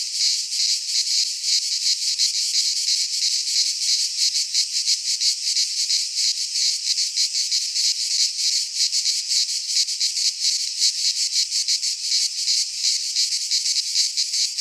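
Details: Cicada song from a pine forest in Greece during midsummer: a loud, constant, high rasping chorus with rapid throbbing beats and even volume, no birds or people heard.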